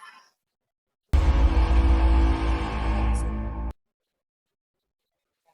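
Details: A short burst of dark, bass-heavy music swells for about two and a half seconds between stretches of near silence.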